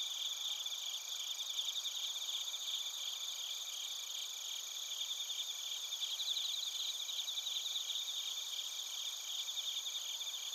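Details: Bell crickets and other crickets chirping in Narita, Chiba Prefecture, Japan, recorded with a TASCAM Portacapture X8: a dense, steady high-pitched chorus with layered ringing bands and fine rapid pulsing trills running throughout, no other sounds.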